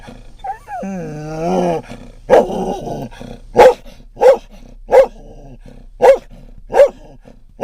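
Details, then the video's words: Scottish Terrier riding in a van, barking at other dogs and cats: a whiny, wavering whimper, then sharp barks repeated roughly every second; low engine rumble underneath. "Scottish Terrier barks at cats and dog"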